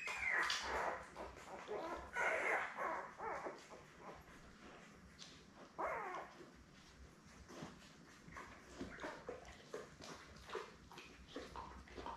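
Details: Labrador Retriever litter of seven puppies, born May 24, 2021, beside their mother Belle on June 3: short squealing whimpers early on, then quieter scattered squeaks over steady shuffling and clicking noises.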